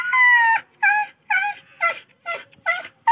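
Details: Injured dog found lying on a road in front of a house, being treated for a large wound that left it unable to walk; loud, high whining yelps, about six in three seconds, several bending downward at the end.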